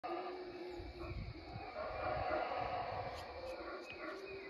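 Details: Howler monkeys calling: a steady, droning roar that stays level in pitch and swells slightly near the middle, heard faintly and from a distance, with soft high clicks and a muffled rumble underneath.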